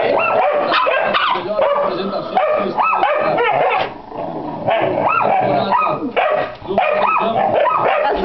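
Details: Barking from a Pit Bull and Yorkshire Terrier cross: bursts of high, yipping barks separated by short pauses, with a little human speech mixed in.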